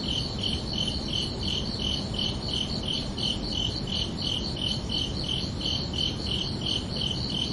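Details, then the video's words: Crickets at night in summer: rapid, regular high chirps pulsing roughly three times a second without pause, one steady voice dominating over a faint broadband background hum. "Calming Cricket Sounds for Relaxation"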